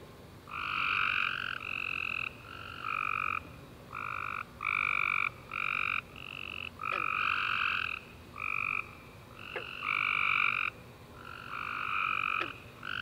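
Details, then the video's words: Night chorus of tree frogs after a rainy summer day, with dense trilled bursts of about half a second to a second, overlapping and repeating almost without pause, plus a few faint sharp clicks. "Tree Frog Chorus After A Warm Rainy Day"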